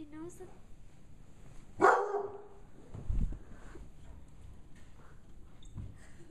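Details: Young bloodhound, five months, startled by a gorilla puppet, gives one strong, broad bark followed by a lower huffing grumble, with a person talking around it indoors.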